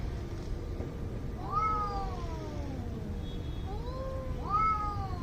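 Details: Two angry cats in a fight exchanging yowls: a long descending wail, a lower moan, then another sharp rising cry near the end, with low rumbling noise beneath.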